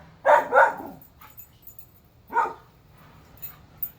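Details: Alaskan Husky named Whiskey, described as bored, pulling on his leash. He gives two quick harmonic yelping woo sounds close together, then a single similar call about two seconds later, with faint background noise between.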